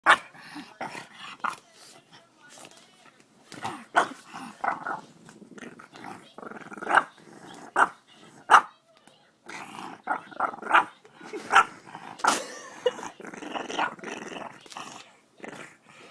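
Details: One-year-old French bulldog making funny sounds and barking while trying to lick a face: a long run of snorting grunts, whines and sharp short yaps, uneven and busy throughout, with close handling noise.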